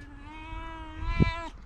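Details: A tabby cat with a deep, guttural voice gives a sustained level meow of about one and a half seconds, with a short thump or knock near the end and light background rumble.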